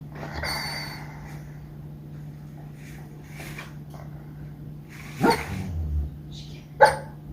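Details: A female dog dreaming in her sleep gives soft muffled woofs and yips, a few faint ones early, then two sharper muffled barks near the end over a steady low hum.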